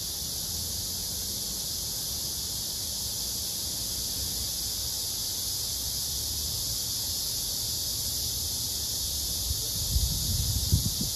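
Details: Male blackish cicada held with a captured female, singing a serenade to her. A steady, unbroken high buzzing hiss runs throughout, with low rumbling handling noise near the end.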